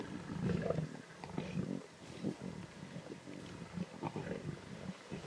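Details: Lion cubs at a zebra carcass in the Timbavati snarl and growl intensely, a string of deep, rough rumbling growls rising and falling in quick succession, with faint outdoor ambience.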